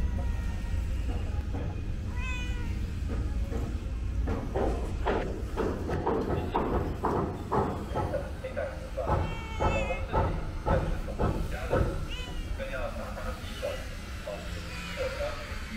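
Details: Calico cat; meow; begging for snacks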